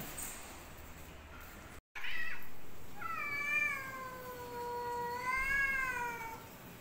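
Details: Fighting cats: after a brief faint sound, a long, tonal, wavering yowl with strong overtones rises and falls gently for over three seconds, steady and moaning in quality.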